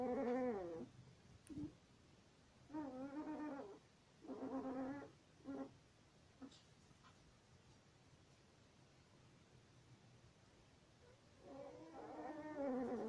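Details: Longhaired German Shepherd puppy aged one week, crying in wavering, nasal whines. A cluster of short cries comes first, then a long silence, then a drawn-out wobbling whine at the end.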